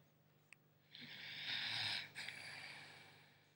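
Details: English Staffordshire Bull Terrier puppy, five months old, asleep and snoring: one long breathy hiss-like snore lasting about a second, a short break, then a softer trailing exhale, with a faint click before it.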